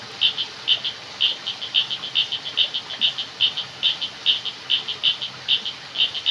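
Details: Night jungle frogs give quick, high clicking pulses, often in pairs, about twice a second and slightly irregular, against a continuous background hiss of crickets and water.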